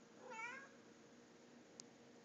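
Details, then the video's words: House cat talking to its owner indoors, giving a brief rising-then-falling meow at the start, followed by quiet and a small click. "Kitty talk"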